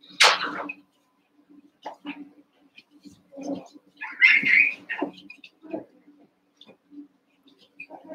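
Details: Playful yips and squeals from Cavalier King Charles Spaniel puppies wrestling in a pen, eight pups aged around seven weeks; a loud opening yelp, then uneven high squeaks and short whines over a faint hum.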